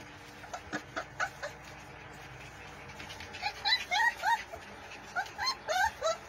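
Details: Playing Pit Bull puppies nipping at each other, uttering quick high-pitched whimpering yelps that rise and fall, clustered in bursts of three to five, over a faint constant background hum.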